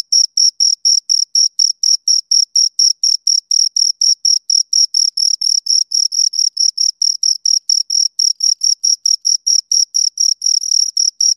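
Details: Two crickets keep up a fast, insistent series of sharp high chirps, mostly regular with brief bunched stretches where their calls overlap; a pure bright tone throughout, no background noise.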